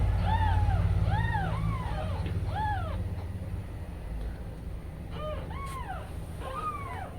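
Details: Newborn kittens calling while their mother cat steps away for a break: a run of thin, arching mews in quick succession, then a short pause and more cries, over a low steady hum.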